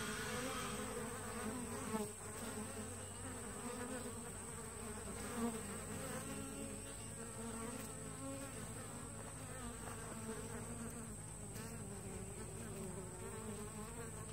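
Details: Entrance traffic of honey bees at a walk-away split two weeks old: continuous thick buzzing drone of many flying bees, wavering slightly, a steady high whine running through and a couple of soft knocks.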